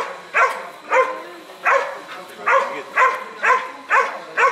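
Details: Airedale Terrier barking during IGP 3 protection training: eight sharp, harmonic barks in a steady rhythm, about two per second, with only slight background noise between them.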